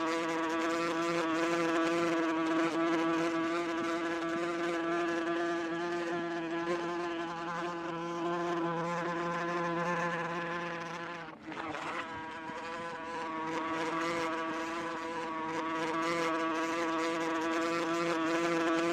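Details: Sustained, high, pulsing wasp buzz from fast-beating wings, an even drone with layered overtones that briefly dips around the middle and then returns at full strength.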